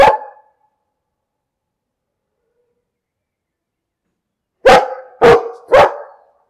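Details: Domestic dog: a single bark trails off, a four-second silence follows, then three quick barks in a tight run, each sharp and mid-pitched with no other sounds around.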